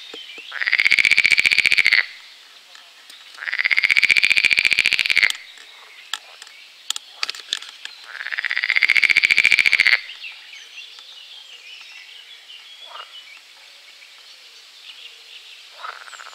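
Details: A pool frog at Strobów, Poland, on 4 June 2017 gives three loud, rapid rattling trills, each lasting over a second, with pauses between.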